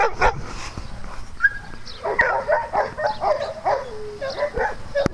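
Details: Dogs at play on a farm: a few sharp barks near the start, middle and end, with higher whines and short yips between them over a busy, cluttered background.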